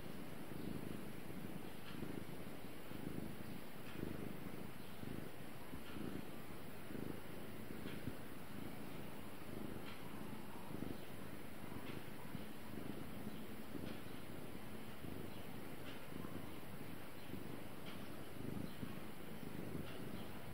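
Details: Continuous purring by Gara the cat: a deep, even buzz pulsing gently with inhale and exhale, sustained without pause over twenty seconds, with a faint background hiss.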